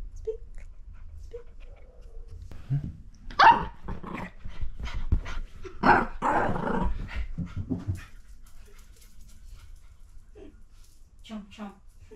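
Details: Miniature Fox Terrier named Lucy picking a playful fight with a hand: quiet stretch, then a burst of rough growls and sharp barks in the middle, fading back to soft snuffles and small whines at the end.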